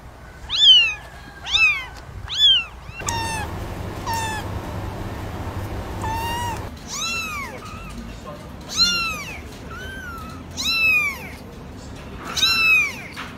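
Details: Repeated high-pitched kitten meows, short arched cries coming roughly every second, softer in the middle over a stretch of rushing background noise, then strong again toward the end.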